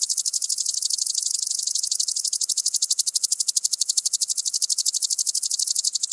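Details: Song of a common green grasshopper (Omocestus viridulus) at Tschenn, Italy, on 19 August 2019. A steady, sharp, rapid series of high, dry pulses that runs on unbroken and grows slightly more distinct and regular toward the end.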